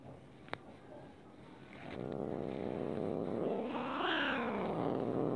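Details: Cat unhappy at being stroked: a quiet start with a sharp click, then a low growl building and rising into a strained, wailing moan before settling back down.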